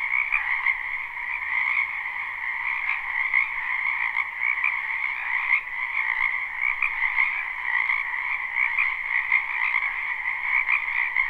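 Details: Frog chorus from a wetland in spring, a live unlooped recording: continuous layered croaking trills, many callers at once, holding two steady pitch bands with slight pulsing swells in loudness.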